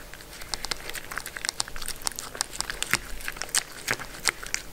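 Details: Pet Sheltie named Mindy eating her food indoors; crisp crunches and crinkling bites break out irregularly, several per second, between brief pauses of quieter chewing.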